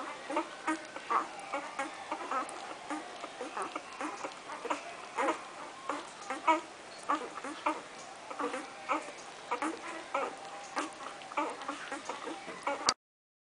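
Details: Several Irish Wolfhound puppies, Brigit's litter, feeding and crooning: thin, drawn-out whining tones drift over constant wet smacking and clicking eating noises, ending abruptly.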